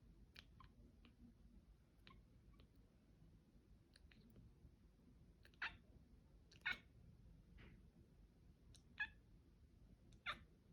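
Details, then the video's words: Weird noises from the cat Mila in a small room: scattered clicks, then louder short trilling chirps every second or two, uneven in rhythm, over faint low hum. "Mila makes weird noises"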